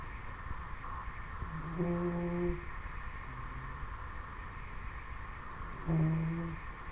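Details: A 10-week-old Dobermann puppy asleep indoors, snoring in two low, voiced, droning breaths with a clear hum-like tone, each lasting under a second and about four seconds apart, over a quiet room hum.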